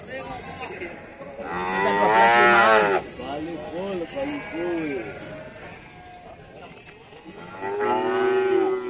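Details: Cattle in the Bumiayu livestock market, Indonesia, lowing loudly: a strong wavering moo, a second shorter bending call, then after a pause another long moo, over a murmur of market noise.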